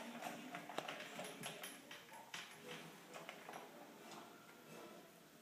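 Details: A Standard Poodle eats fast, finishing a cup and a half of dry food in a little over two minutes, with quick, irregular crunching and clicking bites.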